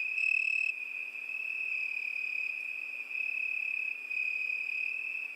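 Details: Cricket singing a steady, unbroken high-pitched trill that holds one even tone throughout, with faint higher overtones and a slight swell in loudness at the start; no other sounds.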